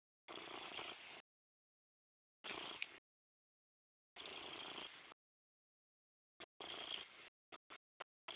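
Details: Purring from Morris the cat, coming in breathy rasping stretches of about one second with quiet pauses, followed by several short clipped bursts near the end.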